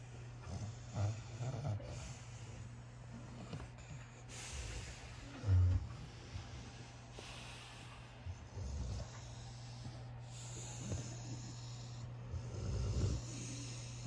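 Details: Slumbering puppy lying with his brothers, producing short low snorts and rumbles every few seconds, each paired with a breathy hiss, over a continuous low background hum.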